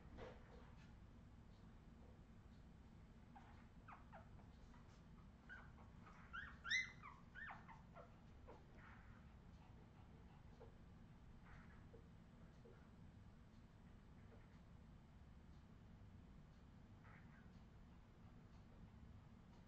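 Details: Australian Terrier puppies of the Redwing line, 2018: a short cluster of high squeaks and whimpers midway through an otherwise quiet stretch, with faint scattered clicks and a low steady background hum.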